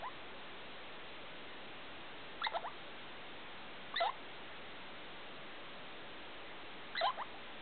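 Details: Short bursts of sharp, rising squeaky chirps from Felica the degu in the middle of the night, about 2 o'clock, room light switched on; three clusters spaced roughly two to three seconds apart, otherwise quiet.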